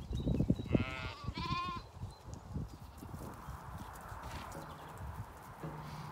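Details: Zwartbles ewes and lambs on a regenerative farm in County Kilkenny, Ireland, in the field as the ewes eat their meal; two wavering, quavering bleats in quick succession, then low rustling and munching noise.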